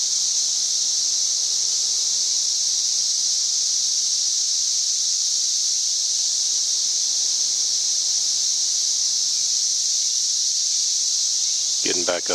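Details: Loud cicada song measured at about 90 decibels, recorded May 31, 2024. A continuous shrill, hiss-like drone stays level and unvarying throughout, and a brief burst of human speech comes in at the very end.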